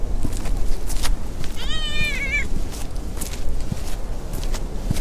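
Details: Ear-tipped stray tabby-and-white cat, recently neutered, playful and friendly, in a park with a large pond near a slide; one clear, slightly arched, harmonic meow lasting under a second, amid scattered footsteps, light clicks and low outdoor rumble.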